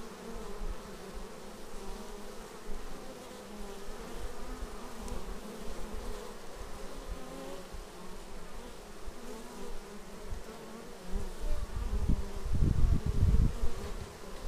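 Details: Beehive entrance with bees arriving, filmed on a Xiaomi Yi action camera: an even, layered buzz of many wings that turns louder and rougher near the end as bees pass right by.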